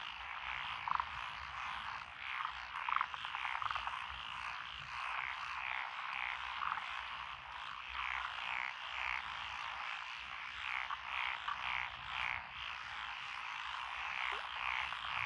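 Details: Lotus rice paddies in Echizen, Fukui Prefecture, Japan, on 12 June 2021, filled with calling frogs (tree frogs, pond frogs, wrinkled frogs, Schlegel's and forest green tree frogs). Overlapping rapid croaks and trills form a thick, pulsing chorus throughout.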